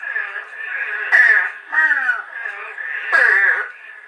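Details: Eastern Spadefoot, a species uncommon on Long Island, giving short, nasal, downslurred calls likened to a baby crow; three harsh notes in four seconds over a steady, high, droning background chorus.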